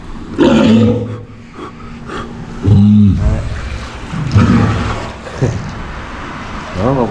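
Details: Aquarium walrus in Japan answering a keeper's morning greeting after waking: low, harmonic bellows and grunts, two strong moaning calls midway, mixed with a keeper's Japanese speech throughout.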